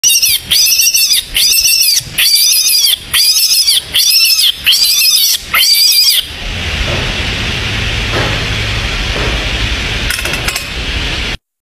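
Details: Baby bunny screaming: shrill, harmonic-rich cries in about seven loud bursts over six seconds, each roughly half a second long with short gaps, then a steady hiss with a few faint clicks near the end.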